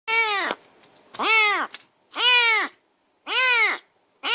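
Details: Rescued semi-wild stray kitten, caged during its first minutes in a new home after a bath and dinner, calling on and on; loud arched meows repeated roughly once a second, four full and a fifth beginning, with quiet gaps between.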